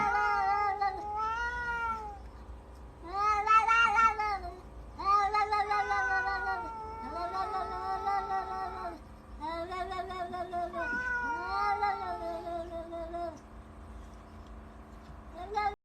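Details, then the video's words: Cats fighting: continuous wailing yowls that rise and fall in long drawn-out waves, overlapping voices with brief pauses, and a sharp broken cry near the end. "Cats fighting"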